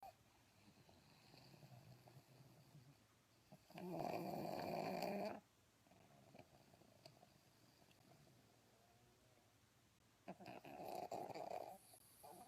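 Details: Pug snoring indoors, two loud rasping snore bursts around four and eleven seconds with quieter breathing between.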